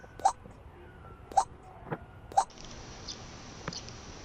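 A baby rabbit hiccups: short, sharp little clicks spaced about a second apart.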